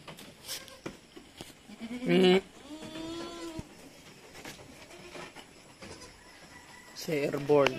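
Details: Farm goats bleating as kids are weaned at Terra Grande Farms, San Carlos City, Philippines: a short harsh cry, then a longer steady bleat, and another rough call near the end, mixed with background voices and knocks.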